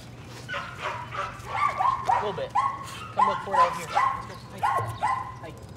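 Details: Young Patterdale Terriers at evening rat work in a puppy pen give a steady series of sharp, high yips roughly every half second, climbing in intensity, while people talk underneath.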